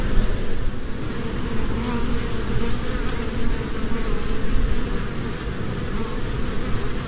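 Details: Honeybees active in spring among flowers, gathering nectar and pollen; a steady, dense droning buzz runs throughout, heavy in low rumble, with no clear pauses and slight swells in loudness.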